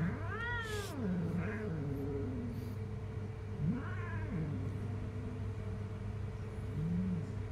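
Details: Jungle cat, described as very dangerous, giving drawn-out wavering yowls that dip and rise, plus a brief higher arched cry near the start, over a constant low hum.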